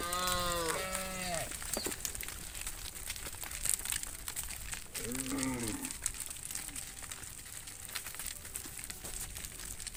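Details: Tame cattle herd walking back to the farm pen at sunset behind their herder: two deep, drawn-out moos in quick succession at the start, a shorter low moo a few seconds later, over steady outdoor hiss and rustling.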